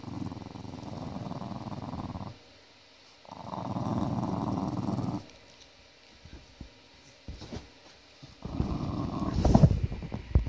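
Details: Angry dog named Holly giving a deep, throaty growl in three drawn-out stretches of about two seconds each, separated by pauses with faint clicks and shuffling.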